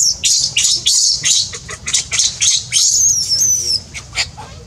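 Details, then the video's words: Baby monkey Lucie in Cambodia crying with shrill, piercing squeals repeated rapidly, several per second. The cries end in a long thin whistle that slides downward, with a low rumbling background underneath. "poor baby monkey Lucie crying"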